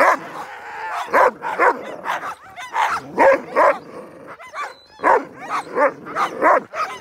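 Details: Sled dogs at a husky dog-sledding tour in Fairbanks, Alaska bark and yelp excitedly in a repeated, overlapping chorus of sharp, harmonic calls.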